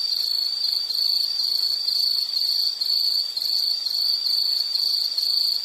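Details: An insect chirps in a high, shrill tone, pulsing in quick regular bursts about two per second, each burst separated by a tiny gap, with no other sounds present.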